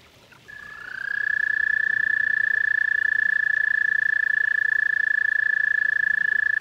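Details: Toad at a garden pond giving a long, steady, high musical trill of rapid pulses that starts after a brief quiet moment and holds unbroken at one pitch to the end.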